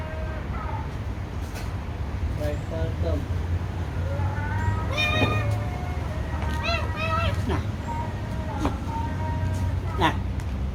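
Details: Cats described as wild and still afraid of the person: a few short rising-falling meows, some doubled, scattered among Vietnamese speech, with a steady low rumble underneath.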